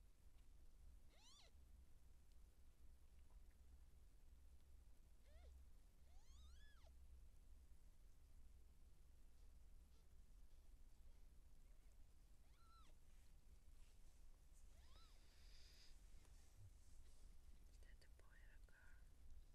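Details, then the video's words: Seal point Siamese cat in labour, giving birth to kittens: faint, drawn-out meows rising then falling, spaced several seconds apart, over a steady low hum. "Cat Giving Birth Siamese SealPoint MAH010 Feline Labor بسة سيامي اثناء الولادة"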